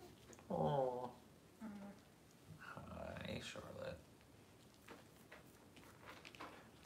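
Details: Puppies on a livestream kept running during a power outage; a short harmonic growling whine of about half a second, then quieter murmuring vocal sounds with faint talking in an indoor room.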